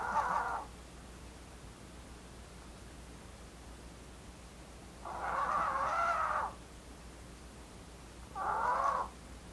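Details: Blue, a female Maltese born 4 August 2018, daughter of Maltese parents Jamong and Fanta, snoring: three breathy, nasal mid-pitched snores at uneven gaps, the middle one long and drawn out, over quiet room hiss.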